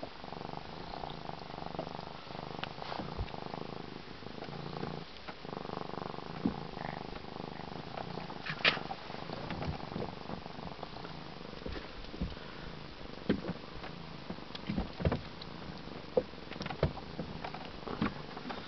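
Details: A 13-week-old African serval purrs in a steady low rumble, with occasional soft clicks and bumps, sitting on a boat's captain chair after swimming in Lake Erie.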